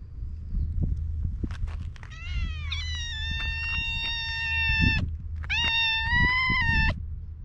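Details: Stray cats at an evening gathering outdoors; one cat gives a long drawn, slightly wavering meow, then after a pause a second sustained meow, over a steady low rumble of background noise.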